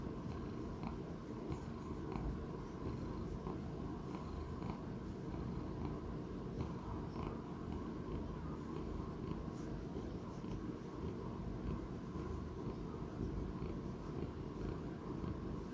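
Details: A sixteen-year-old male Persian Chinchilla house cat purrs continuously in a recording from 11 October 2019. Deep, even, rumbling throughout with a few light ticking sounds scattered over it.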